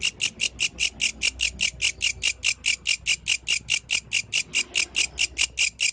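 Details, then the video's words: Yellow grasshopper in nighttime nature giving a very regular series of sharp, high, scratchy pulses, about five per second, against a near-silent background. "The Melodious Sound of the Yellow Grasshopper, Authentic from the Night Nature"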